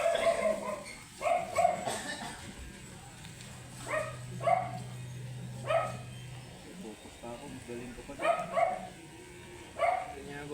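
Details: Matted, angry Shih Tzu during grooming giving short sharp barks, about seven across ten seconds in irregular bursts, some doubled, with a low hum of grooming equipment in the middle and quiet background noise.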